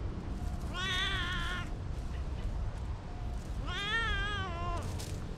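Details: Park cats playing freely: two drawn-out, wavering meows roughly three seconds apart, the second slightly longer and sliding downward at its end, with soft low outdoor noise underneath.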